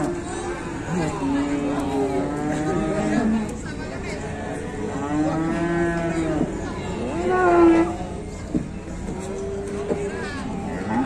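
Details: Fierce cow making a racket in Indonesia, giving a run of long, harmonic moos one after another, some rising and falling, with a steady low background hum throughout.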